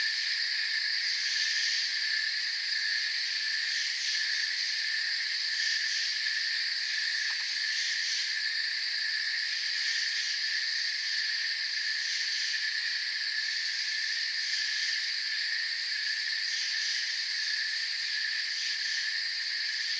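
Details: A forest cricket chorus: continuous, overlapping high-pitched chirping that holds level the whole time, forming several layered bands of sound with faint flickers of texture but no breaks or other clear voices.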